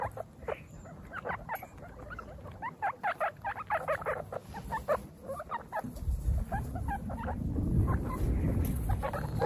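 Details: Baby guinea pigs at their first picnic outdoors, from a group of female guinea pigs; short, clipped squeaks in rapid runs of about two per second, then a rising wash of rustling, breezy background noise.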